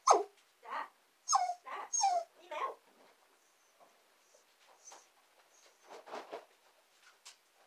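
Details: Two young female dachshunds, Saigrorg and Tanggwa, whimper indoors while waiting for their owner working in the basement. About five high, sharply falling whines come in the first three seconds, then softer scattered whimpers follow.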